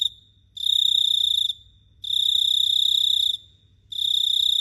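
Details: A cricket chirps at night in Phteah Prey, three long bright high-pitched trilled bursts, each around a second, with short quiet breaks between them.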